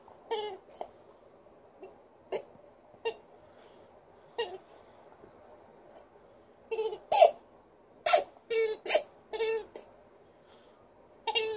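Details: Liza, a female Alaskan Malamute in a good mood, puts on a little vocal show: short, wavering, harmonic woo-like bursts, some scattered and some in a quick cluster of five or six near the end, indoors and otherwise quiet.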